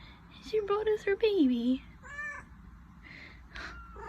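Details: Domestic cat meowing: several short clipped mews, then a long drawn-out meow that slides steadily downward in pitch, followed by fainter, softer meows with a person talking quietly underneath.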